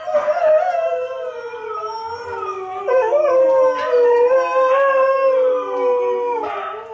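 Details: Hailey, a pet dog, howls along to recorded huskies howling: long wavering tones around a steady mid pitch, sliding slowly downward and swelling louder near the middle, with several overlapping voices.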